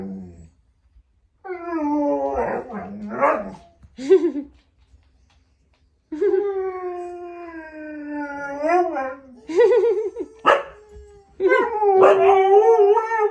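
A Siberian Husky howls in long, wavering, mid-pitched notes that rise and fall between short breaks.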